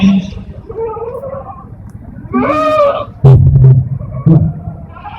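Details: Etawa goat at a national-class Etawa goat contest in Senduro, Lumajang: one loud, wavering, harmonic bleat lasting about half a second, set among low rumbling hum, crowd murmur and brief bursts of noise.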